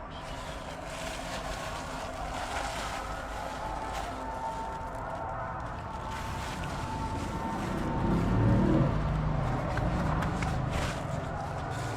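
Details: Continuous motor and traffic drone that swells slightly near the end, with no animal calls.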